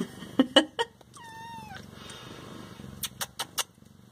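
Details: Siamese cat indoors giving one short, falling meow lasting under a second, between loud clicking and tapping sounds before and after it.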